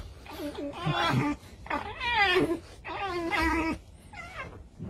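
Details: Red fox being brushed inside a room gives three harsh, wavering whining cries about a second each, rich and buzzy, separated by short pauses, with soft thumps of handling.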